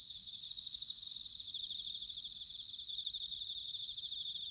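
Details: Bell crickets singing in autumn at Sanuki, Chiba, Japan: a steady high ringing band with fine pulsed trills, swelling into louder bright phrases at about 1.5, 3 and 4 seconds over a continuous chorus.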